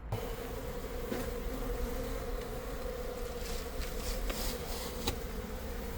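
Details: Western honey bee colony exposed inside a structure during a live removal in Buena Park, California, many bees still working among brood; steady dense low hum with a faint tone throughout, occasional knocks and scraping of tools.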